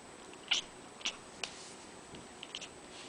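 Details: House cat at a window chattering at birds flying outside, mimicking a bird's twitter to lure them: sharp, high chirps spaced about half a second apart, then softer trailing clicks, in a quiet room.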